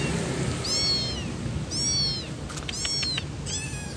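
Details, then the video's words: Kitten calling while looking for its mother: four high, arched, harmonic meows spread over four seconds, each rising then falling, over a steady background hiss. "Suara Anak Kucing Mencari Induknya"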